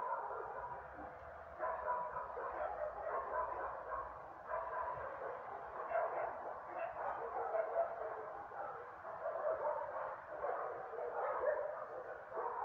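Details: Several dogs bark steadily from a distance. The barks overlap into a dense, continuous din with no clear pauses, and no other sounds stand out.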